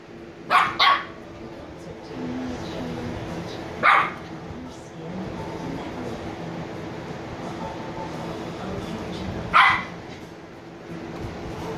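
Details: Sleepy Shiba Inu puppies Niro and Kyno, 86 days old: a quick double bark near the start, a single bark at four seconds and another near ten seconds, with quiet low background hum between.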